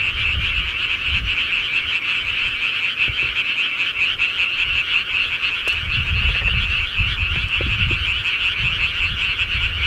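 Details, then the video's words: Many frogs croak together at night in the countryside, an even, rapidly pulsing chorus that never pauses, with intermittent low rumbling and a few faint clicks. "시골개구리 소리"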